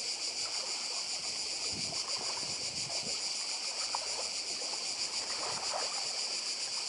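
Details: Cicadas in Croatia, on Badija island beside the sea, fill the air with an unbroken sizzling buzz at high pitch, quickly pulsing, with low wave wash underneath.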